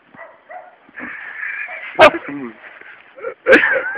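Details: Three-month-old Labrador Retriever puppy playing with and biting a toad; short sharp yips and whines break through between two loud bursts, with a person talking softly in Portuguese in the background.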